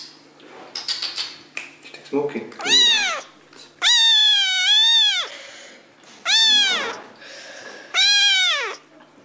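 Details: Kittens meowing for their owners' attention inside a home: after some clattering and brief human voice, four loud arched mews, each about half a second to a second long, rising then falling.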